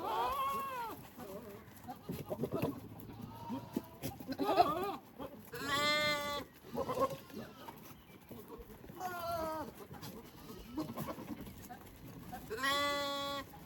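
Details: Male goats in mating season courting pregnant females while the females graze. Loud, quavering, nasal bleats at the start, around six seconds, nine seconds and at the end, with shorter low grunting calls between them and a constant background hiss.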